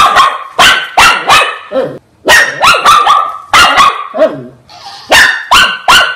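A Shih Tzu gives sharp, high-pitched barks in quick bursts of three or four.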